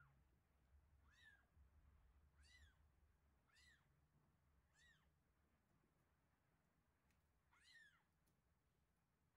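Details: Two one-week-old kittens, Terra and Towa, mewing at feeding time indoors: five thin, arched cries about a second apart, each rising then falling, over a low steady hum.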